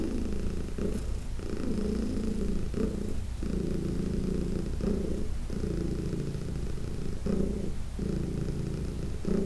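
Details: Massage of Heidi, a senior indoor cat, brings a loud, thick purr with a strong humming mid-range drone broken by short regular pauses for breath.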